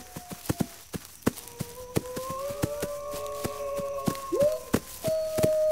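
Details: Several wolves howl together in long, steady, overlapping tones, one voice sliding down then rising to a level note near the end, over a constant stream of sharp clicking knocks.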